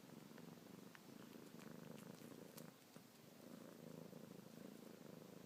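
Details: Luna the kitten purrs while suckling on pinky and ring fingertips, paws going; rhythmic low purr pulses steadily, briefly softening just before the third second, with light clicks.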